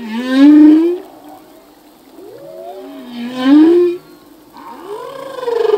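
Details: Male humpback whale singing in the ocean, a full-length song: three loud rising moans with rich harmonics, each swelling then breaking off, separated by quieter gliding tones and a faint low steady hum.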